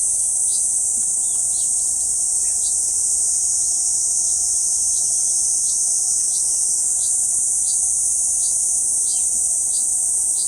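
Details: A Kuroiwa cicada sings from a banyan trunk in central Okinawa Island, 11 June 2023, producing a sustained, piercing high drone, while faint regular chirps sound beneath it about four times per second.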